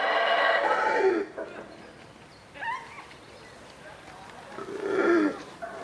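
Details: ['Howler monkeys at the Yaxchilan ruins, heard in the morning. Deep, rough, harmonic roaring comes in two loud bursts, one at the start and one near the end. Softer, shorter vocal sounds fall between the bursts.']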